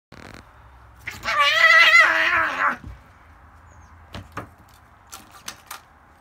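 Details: Female domestic cat that has just caught a gopher, making a noise never heard from her with prey before: one drawn-out, wavering, harmonic yowl lasting about one and a half seconds, then quiet with a few sharp clicks and taps.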